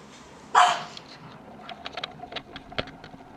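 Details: French Bulldog puppy at a breeder in Tokyo, Kanto, Japan: one short, sharp bark about half a second in, then scattered clicks and light tapping against a quiet indoor background.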